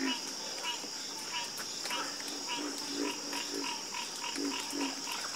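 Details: Soothing frog chorus at night: low croaks repeating roughly every half second alongside bursts of higher pulsed calls, several frogs overlapping over a persistent high drone.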